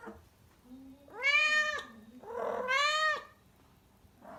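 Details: Rescued female pet cat Kuro in heat, before her spay, in Tendō, Yamagata, Japan, crying loudly indoors: two long, drawn-out, harmonic-rich yowls, the second rising and holding steady, separated by a short low murmur.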